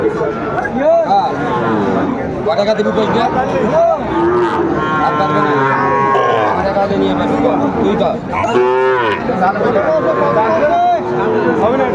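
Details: Lowing from a crowded Sylhet cattle market where farmers buy Sahiwal bull calves, 29 June 2024: many short and long moos overlap, some rising then dropping in arcs, a strong call near the end, amid steady voices and bustle.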